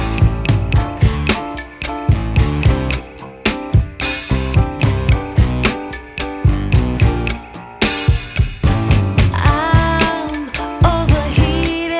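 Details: Upbeat music with a strong, regular beat and a singing voice plays throughout.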